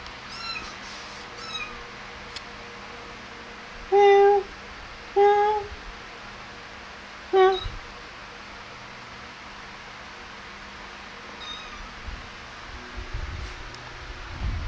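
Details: Three brief, soft mews from kittens playing and feeding, clustered in the middle of an otherwise quiet room with faint rustles and taps.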